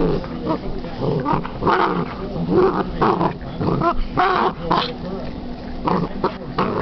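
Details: A female Basset hound named Millie at play with a new toy, giving gruff growls and short whiny yelps in uneven bursts, while a human voice talks in the background.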